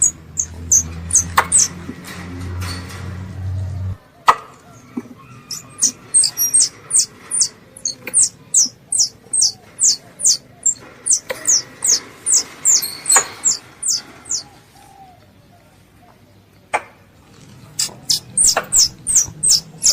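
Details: Squirrel; contact call; calling its mother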